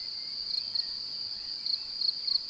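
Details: Male cricket calling to a female while seeking to mate, the sound made by rubbing his forewings. A sustained high trill carries short louder chirps in small clusters of two or three pulses.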